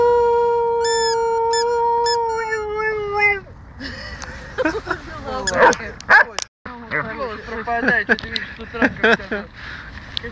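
A dog gives a long, steady, tuneful howl, then people talk and laugh.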